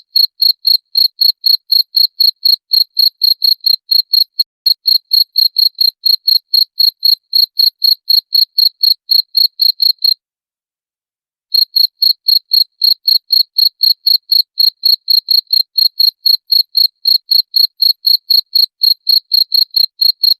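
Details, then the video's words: Jangkrik, a cricket, chirps in a steady high-pitched pulse train of roughly four chirps a second, broken by a short pause near ten seconds. The sound is presented as a rat repellent. No other sounds are heard. "SUARA JANGKRIK PENGUSIR TIKUS"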